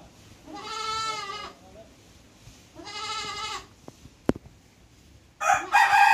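A goat gives two drawn-out, quavering bleats, then a louder, harsher call at the end.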